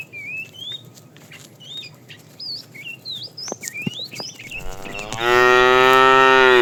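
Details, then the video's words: Small birds chirp in quick, varied phrases for several seconds. Then a fat cow in a tame, afternoon-herded herd breaks in with a loud, sustained, rich moo while calling the female. "The funny sound of a fat cow calling the female"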